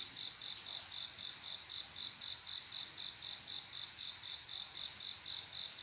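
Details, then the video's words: Male cricket calling to attract a female during a summer night, bright, metallic chirps at a steady pace of about four per second, backed by a continuous high insect drone. "조용한여름밤 귀뚜라미소리"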